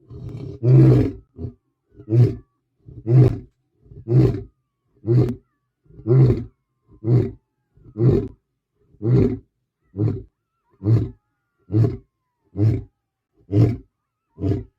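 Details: Male lion filmed in Botswana, guarding his cubs and their mother, delivering a long run of deep, throaty grunts about one per second, each short and booming, fading slightly toward the end of the series.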